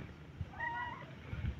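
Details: Faint, brief arched meow from a runaway white cat being called back, rising then falling, over low rumbling background and soft thumps.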